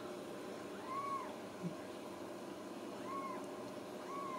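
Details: Home-raised Ragdoll kittens from a central Kansas cattery, kept without cages: three soft, arched meows about two seconds apart, quiet against a constant hiss and hum.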